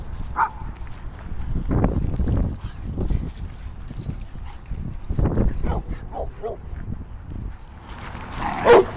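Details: Boston terrier Rudy playing at the dog park on a warm late-fall weekend day: scattered sharp barks and yips, one near the start and a pair past six seconds, mixed with scuffling, footsteps and people talking nearby.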